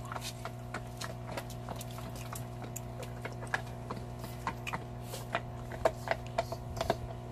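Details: Belgian Malinois, a large shepherd-type dog, eating a cow bone in a close ASMR recording: softer crunching and scattered clicks, roughly one a second, with a faint wet quality over a constant low hum.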